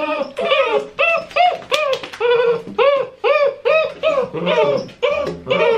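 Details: Great Dane puppies six weeks old, just after their first-ever bath, cry in a steady series of about a dozen arched, nasal whines, each roughly half a second long with short gaps between, in a small indoor room.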